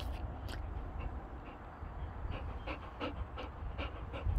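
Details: Boxer dog panting during close-up filming, one of two boxers: quick, breathy pants repeated steadily about three times a second over a low background rumble.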